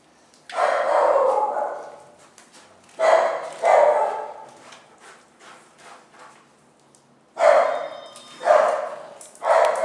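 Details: Family group of pet dogs with their puppies barking. Full, harmonic barks come in clusters: one long bark, then a pair, then a quiet stretch with faint yips, followed by three more barks in quick succession.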